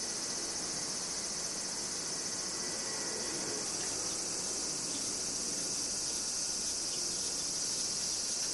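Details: Cicadas singing in summer in Minami-Magome, Tokyo, Japan, recorded 8 August 1991: a dense, steady high buzzing drone that fills the whole stretch without pause, with a faint lower hum of the surroundings beneath it.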